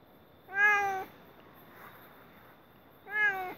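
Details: Mating cat crying at night, giving two clear, nasal meows about two and a half seconds apart, each level then dropping slightly at the end, over a low steady hum.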